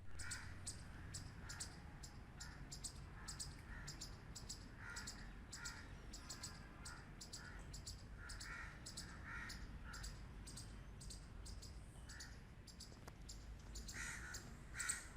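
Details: Loud squirrel barks repeated steadily for fifteen seconds, short rasping chucks coming two to three each second in an unbroken series, over a low constant rumble.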